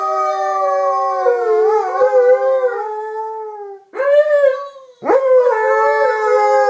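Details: Pet Alaskan Malamutes Jazzy and Ben in a joint howl, drawn-out wavering tones that fade out at about four seconds, then two fresh rising starts, the second swooping up steeply before holding steady alongside the other dog.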